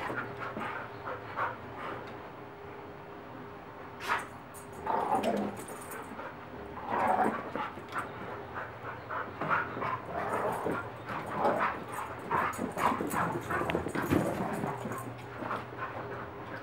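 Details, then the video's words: Dogs and a puppy playing roughly together: short yips, growly bursts and panting scattered through the recording, louder clusters around the middle and near the end, over a steady low background hum. "Funny Dogs Playing"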